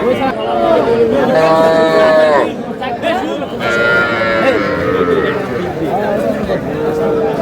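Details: Young bull or heifer calves, including two Friesian crosses, at a Madaripur cattle market in Bangladesh on 18 April. A long, level, droning moo lasts about two seconds, then fainter lowing follows amid constant chatter and haggling crowd noise.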